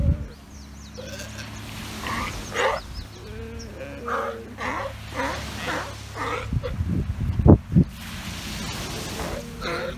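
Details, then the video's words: Sea lions in the Galapagos Islands, a grumpy bull chastising his hungry pup for waking him from a nap: a run of harmonic, bleat-like wails rising and falling, several overlapping, over steady low rumbling background noise. "Grumpy sea lion father chastises hungry baby for interrupting nap time"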